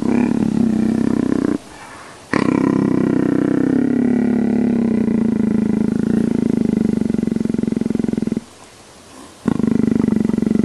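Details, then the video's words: Low, fast-pulsing purr-like rumble from a leopard enjoying a scratch, sustained for long stretches with a gently falling then steady pitch, interrupted by two quiet breaths of pause. "Az Daha Yukarıyı Kaşı Diyen Leopar"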